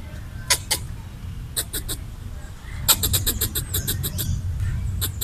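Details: Territorial red squirrel eating coconut bits left out for squirrels, chattering to scare off a person: sharp dry broadband chucks, scattered at first, then a rapid run of about a dozen pulses, over a steady low rumble.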